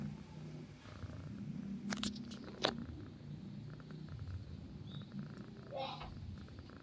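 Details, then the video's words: Sleeping domestic cat purring, a low rough rumble running throughout, broken by a few sharp clicks and rustles near the start and a brief faint squeak later. "Purring Cats while sleeping"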